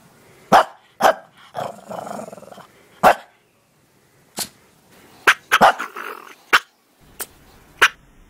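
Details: Pet dog barking and then sneezing, filmed in slow motion: sharp broadband bursts, a few loud and isolated, others in quick clusters with short gaps between, plus some softer rough sounds in between.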